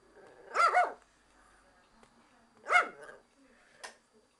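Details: Japanese Chin barking at the window cleaner: two loud, bright yapping barks about two seconds apart, the first doubled, then a faint short yip.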